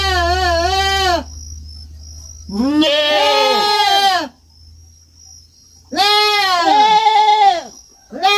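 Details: Farm kid goat bleating loudly in long, wavering cries that overlap with a second bleating voice, three bouts spaced a few seconds apart, with a low hum early on.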